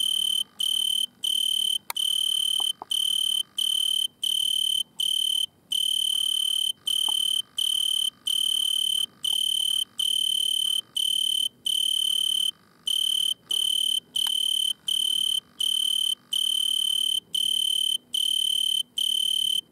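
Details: Italian tree cricket in a butterfly bush, filmed with a red lamp while stridulating at night. Long run of regular, high, tonal trills broken by brief pauses, with scattered soft clicks.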